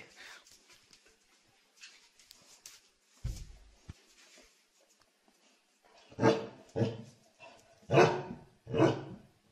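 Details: Soft rustling and clicks in a small indoor space give way to four rough, husky dog barks about one second apart, quieter and noisier than a clean tonal bark.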